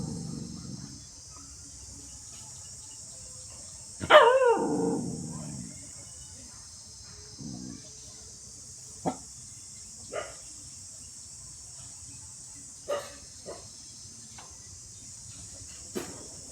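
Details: Two dogs at play: one loud, rough growling bark near the start, followed by scattered faint short yips and clicks over a constant high-pitched hiss.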